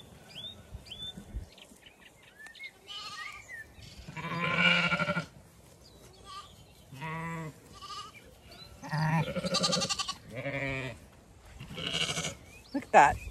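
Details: Zwartbles sheep, the main flock moving to the windcharger field for cool late-afternoon grazing on a regenerative farm in County Kilkenny, Ireland; several harmonic bleats of varying pitch rise from the flock, with short whistled bird notes early on.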